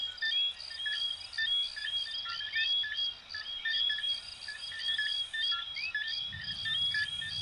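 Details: A chorus of coquí frogs from Venezuela and Puerto Rico repeats sharp, high, two-note whistles, each rising at the end.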